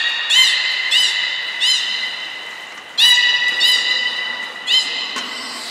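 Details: Belugas Hodoi, Taanya and Mirai at Port of Nagoya Public Aquarium on 14 March 2021, during a pool move and training session. Bright, harmonic squeaks with chirping upward sweeps come in short bursts at irregular gaps, about six in six seconds, with a hall-like echo.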